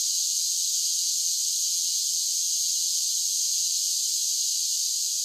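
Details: A constant bright, buzzing hiss of singing cicadas in summer, even in loudness from start to finish, with no other sounds.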